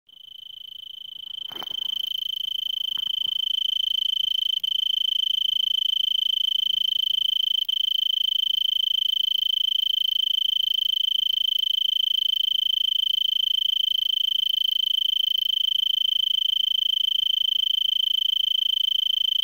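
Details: Arizona tree cricket stridulating in a brittlebush at about 5 PM on December 26, 2022, in Vail, Pima County, Arizona, USA, elevation 3300 ft, about 70 degrees F, before sunset; steady high pure trill, unbroken after a brief start, a few faint clicks early.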